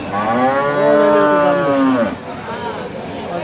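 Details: Friesian cattle at a large cattle market: a loud, drawn-out bellowing moo that swells and then drops in pitch over two seconds, followed by a fainter second low call, with background music.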